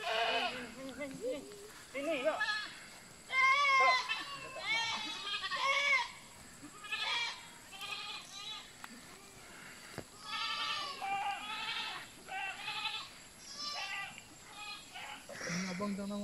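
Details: Goats being called back bleat repeatedly, loud quavering harmonic bleats every one to two seconds, overlapping with a person's calls and speech in Malay.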